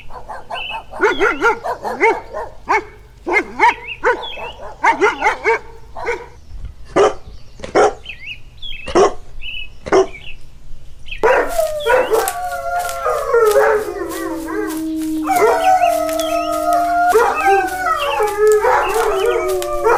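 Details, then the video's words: Puppy playing on green grass outdoors. It gives sharp, repeated barks at irregular intervals, then drawn-out wavering whines and yips that overlap in the second half. "Dog Barking Sounds - Dog sound"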